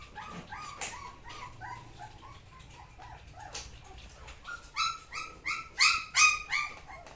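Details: A Samoyed lets out scattered soft yips that build into a series of louder, evenly spaced high barks toward the end, about three each second.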